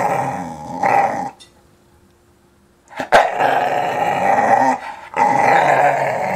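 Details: Young English Staffordshire Bull Terrier growling in play over a ball, a loud, rough, sustained growl in two long bursts separated by a short silence, with a sharp click between them.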